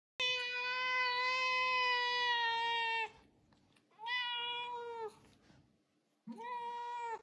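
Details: Golden British Longhair cat meowing desperately while asking for food: three long, loud, harmonic meows, the first about three seconds and steady, the second falling at its end, the third shorter and bending upward, with quiet pauses between.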